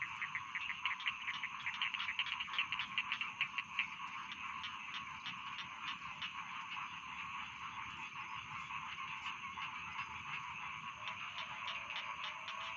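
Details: A chorus of rice field frogs: many overlapping pulsed croaks, louder and more clicking in the first four seconds, then a steady massed rattle, over a constant high-pitched insect-like drone.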